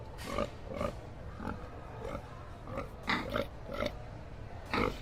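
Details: Pig grunting in short nasal bursts roughly every half second, some doubled, over a steady low rumble of background noise.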